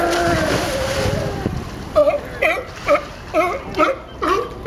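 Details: Sea lions at Pier 39, Fisherman's Wharf, San Francisco, making a funny sound: after a few seconds of voices, hoarse barking calls repeat roughly twice a second, with water splashing in the background.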